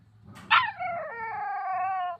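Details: Puppy 'talking' to its owner: a sharp yelp that slides into a long, steady, harmonic howl-like whine held for about a second and a half, then cut off, with light room hum underneath.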